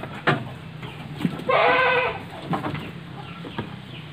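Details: Etawa goat in a farm pen at Panggul, Trenggalek, East Java, among three large pregnant does and one young buck. A single quavering bleat of about a second rises out of low rumbling background noise and faint thuds.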